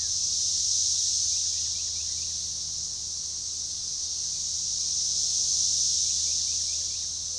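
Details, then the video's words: Magicicada tredecassini chorus, organized and synchronizing, at a forest edge beside a baseball trail near DeValls Bluff, Arkansas, June 7, 2015: an intense high buzzing wall of sound rising and falling in two slow waves, with faint bird twitters. "Magicicada tredecassini organized chorus"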